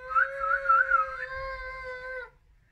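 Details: Siamese cat giving one long drawn-out meow, a rich harmonic tone held at a fairly steady pitch with a wavering middle, lasting about two seconds before dipping slightly and stopping; quiet room otherwise.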